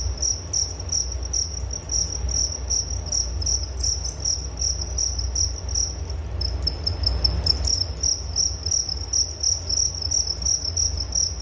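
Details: Continuous cricket chirping, high-pitched pulses repeating roughly three times per second. The rhythm wavers briefly midway before settling again, over a faint low background hum.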